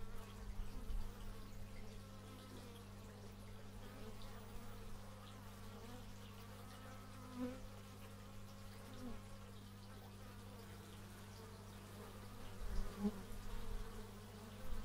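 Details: Many bees droning in stereo, taken with an x/y microphone: an unbroken low hum with occasional louder fly-bys rising and fading, especially near the start and end.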